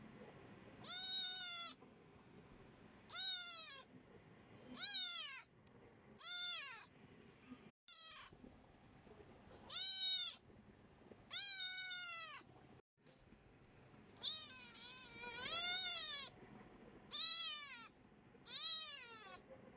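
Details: A kitten calling for constant attention, meowing insistently about every two seconds, nine bright, strongly harmonic cries, each rising then falling, with brief silences between.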